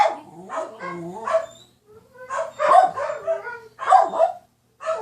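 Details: Dogs making funny sounds: wavering, whining howl-like calls with rising and falling pitch, given in three drawn-out bursts separated by short silences, plus a final brief yelp.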